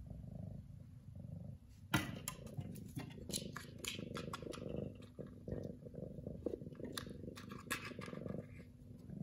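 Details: Continuous deep purring from Lily, an orange house cat, a low rumbling drone with rhythmic breathing swells, overlaid by sharp clicks and scratching rustles of fur or bedding close by.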